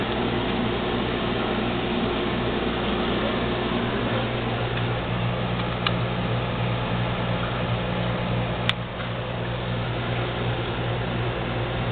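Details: Steady mechanical fan or air-conditioning hum indoors with a couple of faint clicks, and no meowing or other animal sound audible.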